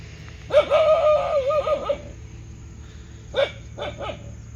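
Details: Dog lets out a drawn-out wavering whine-bark followed by three quick short barks, with a constant low hum underneath.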